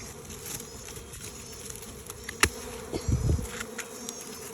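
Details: Honey bees swarming out of an old hive box toward a new one, heard as a low steady buzzing hum, broken by a sharp tap and a short dull thump near the end.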